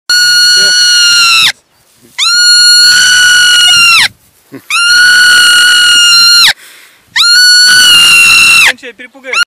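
A marmot gives long, shrill, piercing screams, each about two seconds, repeated with short pauses.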